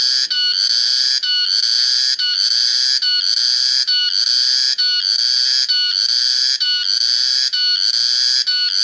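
A cicada's loud, shrill buzzing drone, pulsing with a brief break roughly every second.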